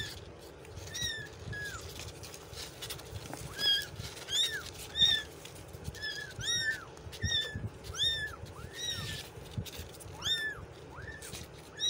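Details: Street kitten crying in a steady series of brief, high, arched mews, roughly one every second, some doubled, with a constant low background hum beneath.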